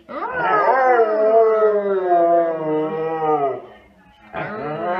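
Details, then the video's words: Siberian Husky howling along with its owner: a long, sustained, tonal howl lasting about three and a half seconds, gently wavering then sliding down, followed by a brief pause and the start of another howl. "ハスキー 犬 鳴き声 ご主人に負けず劣らず遠吠えする Funny Dog Husky Howls as much as Owner"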